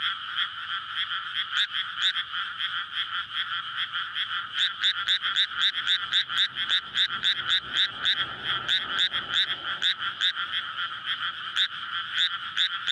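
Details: Night chorus of courting frogs in a flooded May rice paddy, captured with a SONY PCM-D100 recorder: many frogs croaking at once in fast, rattling pulses that thicken toward the end, with a faint low rumble midway.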